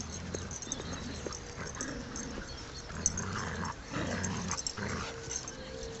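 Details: Six-month-old saluki puppy Amir and his malamute friend Sasha at play in Beckenham Place Park, 22 March 2012: low rumbling growls in short bursts with brief higher whimpering yelps, over steady outdoor background noise.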